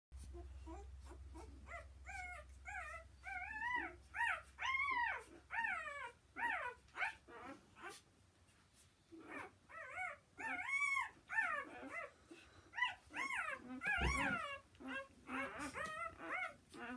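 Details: Newborn Gordon Setter puppies squeaking and whimpering indoors, a steady run of high, arched, harmonic cries that rise and fall, repeated every half second or so, several overlapping voices, with a brief thump around the middle.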